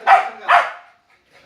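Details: Dog barking very loudly because it is afraid of another dog: two quick harsh barks in close succession, then a faint third bark starting at the end.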